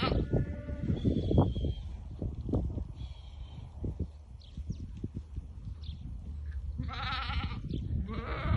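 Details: White Awarid goats, a herd of ten with their buck and pregnant does, in Al-Summan; two short, wavering, harmonic bleats near the end over heavy low rumbling and thumping noise throughout.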